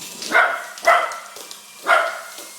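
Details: Chase the dog barking at a bigger helicopter he loves, three sharp, ringing barks about half a second to a second apart, each a quick harmonic burst, with a faint background whine.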